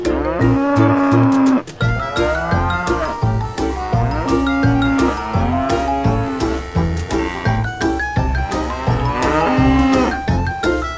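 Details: Repeated real cattle moos, around four long sonorous calls spaced a few seconds apart, mixed with upbeat children's music featuring mallet percussion and light jingles.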